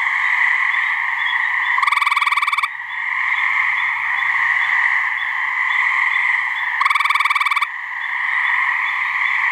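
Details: Mating call of a gray treefrog, one of a pair calling from a New Hampshire swamp: two rattling, rapidly pulsed trills, each near one second long and about five seconds apart, above a constant droning background chorus.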